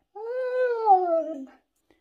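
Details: Talking husky: a pet Siberian Husky, Max or Bombón, makes a single smooth moaning call that swells, then slides downward and fades, like a sung word.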